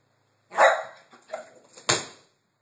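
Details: Dog at a gate gives one loud, sharp bark, then a softer follow-up bark, ending with a sudden clatter.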